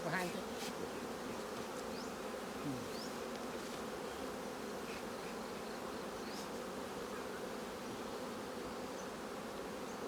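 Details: Colony of honey bees buzzing while capped honeycomb is harvested from their hive, a dense continuous hum holding level throughout, with faint human voices and brief clicks in the background.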